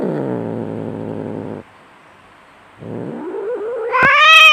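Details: Enraged domestic cat in a fight: a harsh, low growl lasting over a second, a pause, then a drawn-out yowl that rises in pitch and swells into a loud, strained wail, with a short click near the end.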